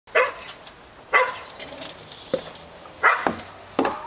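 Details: Dogs barking, sharp single barks spaced about a second apart, five loud bursts in four seconds with faint background hiss between them.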